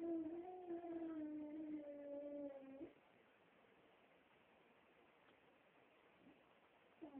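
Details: A female beagle gives a long, wavering howl that slowly sinks in pitch before breaking off.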